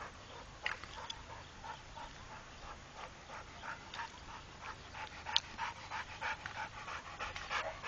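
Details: Trained pit bull Rako breathing hard, with soft airy pants repeating about three times a second at a fairly even pace, quieter and more distant-sounding, with a brief sharp click midway.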